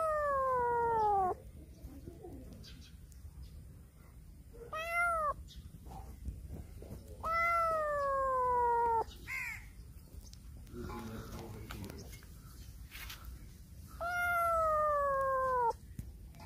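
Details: Black cat meowing loudly while circling around a person; three long, drawn-out harmonic meows, each starting high and sliding downward, spaced about every six to seven seconds, with softer brief mews and faint rustling between them.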